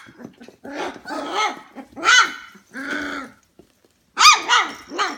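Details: F1 Goldendoodle puppies, 25 days old, calling indoors at 11 pm. Several high, arched whines and yelps in short bursts with gaps between them.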